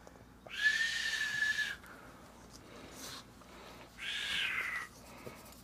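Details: Pug named Potter whining when his butt scratching stops, a needy plea for more: two drawn-out, steady, high-pitched whistly whines about a second each, separated by a short pause with a faint squeak.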